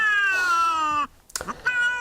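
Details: Two domestic cats confront each other before a fight, one giving a frightening, long, harsh, drawn-out wail that slowly falls in pitch, then a pause and a shorter, strained yowl.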